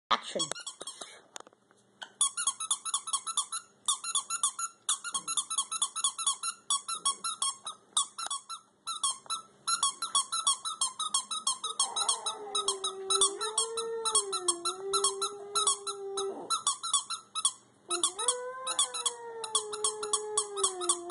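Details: Sasha, a Schipperke dog, howls indoors in response to a squeaky toy: rapid, high, repeated toy squeaks run throughout, then two long, wavering, mid-pitched howls rise over the squeaking in the second half, the second one sliding slightly upward.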